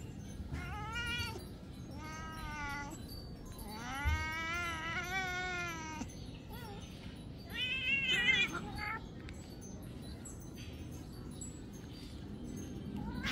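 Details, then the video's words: Cats, a big one biting a smaller one, give a series of meows: short calls early, then a long wavering two-second meow, then a rising and falling cry, with low rumbling noise underneath. "Big cat bites small cat viral meowing"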